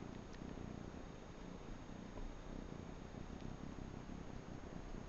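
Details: Manx kitten purring while suckling on a bathrug indoors: a steady low rumbling purr throughout, with faint clicks.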